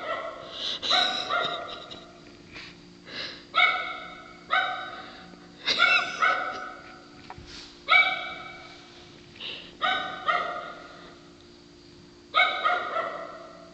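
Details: Female dog giving hoarse, honking barks likened to a sea lion, at night; about nine rough barks spaced irregularly every one to two seconds, with a faint steady hum beneath.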